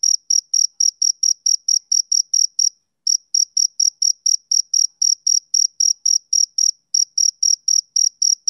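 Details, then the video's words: Male cricket chirping, summer evening: fast regular high-pitched pulses, broken by two short pauses of under half a second before the same steady rhythm continues; no other sounds. "Cricket Chirping Sound Effect"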